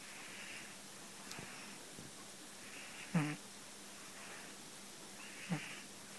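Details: Tetsu-kun the cat snoring in deep sleep, two low rasping snore bursts about two seconds apart, with soft breathy exhales and faint hum in between.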